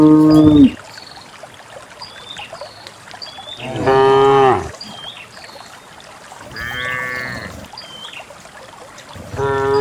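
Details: Herd of dozens of cows walking down a green hill into a fertile valley pasture; loud harmonic moos about every three seconds, each under a second to a second long, with thin whistled bird calls in the background.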